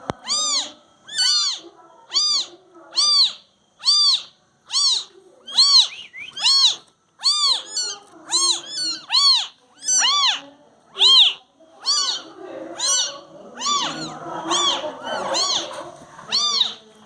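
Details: Newborn domestic kittens mewing steadily. Thin, high, arched mews come roughly once a second, each rising and falling quickly, with overlapping squeaks and soft shuffling near the end.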